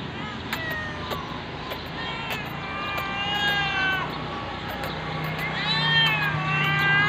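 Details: Hungry domestic cat while being given food: repeated meows with bright, rising-and-falling tones, several in a row, becoming louder and longer toward the end over a steady low engine-like hum and occasional sharp clicks.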